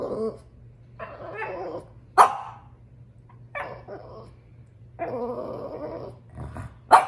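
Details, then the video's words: Female French Bulldog upset about her toy alternates muttering grumbly whines with sudden sharp barks, roughly one bark every two to three seconds, the grumbles rising and falling between them; low electrical hum throughout. "French bulldog is upset about her toy"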